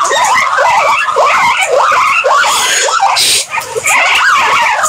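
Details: Wavering, mid-pitched squeals from guinea pigs run in a steady stream of short rising and falling notes, with a brief hiss and a short dip in the sound near the end.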